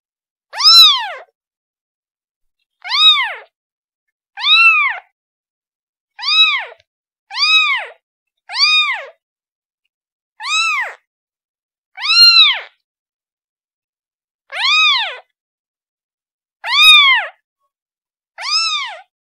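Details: Calling for its mother, a kitten gives about thirteen brief, piercing mews with a rising-falling contour, spaced irregularly one to two seconds apart, no other sounds.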